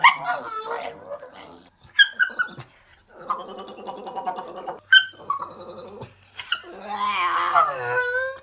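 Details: A pet dog producing funny vocal sounds: rough, grumbling, growl-like murmurs and short yelps, then a louder wavering whining howl near the end, with a few quiet gaps between them.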